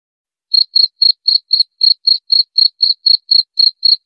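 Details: Cricket chirping, played to repel mice: single high-pitched pulses repeated steadily about four times per second, clean and isolated with no other sounds.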